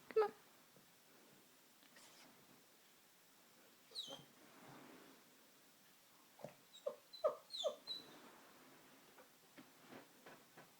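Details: Oscar, an eight-month-old pug puppy, reacting to the Hoover vacuum cleaner indoors: short high whimpering yelps around four seconds, then a cluster of squeaky whines near seven to eight seconds, with soft taps and scuffles between in a quiet room.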